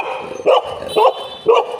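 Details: Golden Retrievers José and Butter meeting a new friend: three short, sharp barks about half a second apart, each a quick bright burst, with a faint voice in the background.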